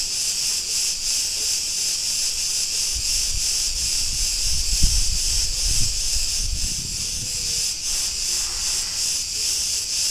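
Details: Cretan cicadas in a street in Ierapetra, Crete, Greece: a dense, continuous shrill buzz swelling and dipping in rapid pulses, roughly three per second, with a few low thumps of street noise in the middle.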